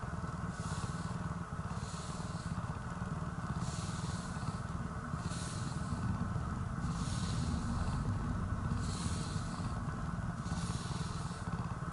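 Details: Steady low rumbling noise with rhythmic hissing bursts about every one and a half seconds, and no animal voices.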